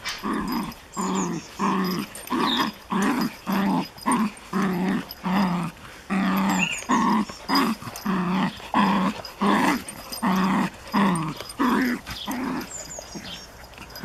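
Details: Japanese Chin puppy at play with a Collie, giving a rapid run of rough growl-barks, roughly one burst every 0.7 seconds, steady and insistent throughout.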